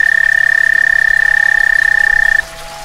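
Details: Frog giving its summer mating call on a back stoop: a steady, high, pulsed trill held for over two seconds before stopping abruptly, leaving quiet background hum.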